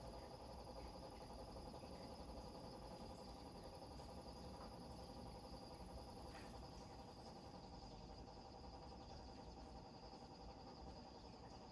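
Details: Night countryside on Maui, Hawaii, with crickets giving an unbroken, even high-pitched chirring, faint pulsing underneath, while a broad low roar of surf against rocks fills the background.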